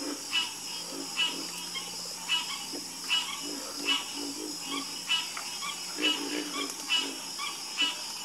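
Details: Harmonious frog chorus with low, knocking croaks in uneven runs, overlapping rasping calls higher up, and a constant shrill background drone from other night callers.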